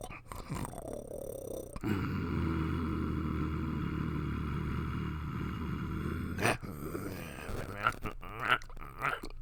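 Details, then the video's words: Low, rough puppy growl held steadily for nearly five seconds, a continuous rumbling buzz, preceded and followed by brief snuffling and clicking sounds. "Puppy Growling Sound | Puppy Growling Sound Effect | Puppies Growling"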